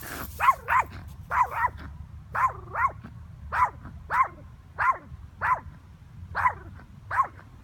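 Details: A Yorkshire Terrier barking at a bird gives about a dozen sharp, high yaps, some in quick pairs, roughly one or two each second, over a low background hum.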